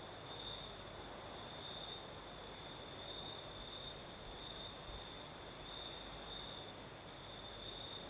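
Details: Crickets singing at night in the south of Crimea during a night breeze: a steady high trill holding one pitch, with brighter pulses every second or so, over a broad hiss of breeze and a faint low rumble.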